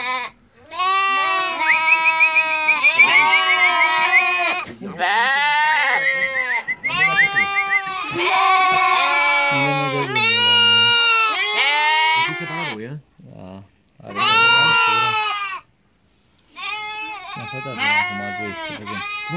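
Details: Turcana sheep lambs for sale ahead of Easter cry in dense bursts of wavering, nasal bleats from several animals at once, with short gaps of silence between the louder runs.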